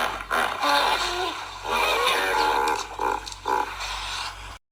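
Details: Hippopotamus (Hippopotamus amphibius), call.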